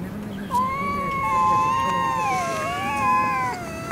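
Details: Stray cats squaring off in a Russian city, a long steady moaning yowl that wavers and dips slightly, held for about three seconds, with a low hum underneath.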